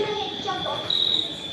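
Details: Continuous shrill cricket trill heard indoors at the national museum, an unbroken high ringing note that brightens slightly midway, over faint low voices.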